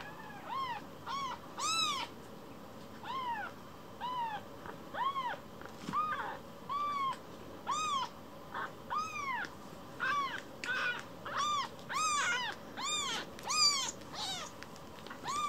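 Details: Kira, a rescued baby kitten who got lost in the home, mews steadily: short bright arched cries repeated roughly every second for fifteen seconds, growing faster and more overlapping toward the end, against low room hiss.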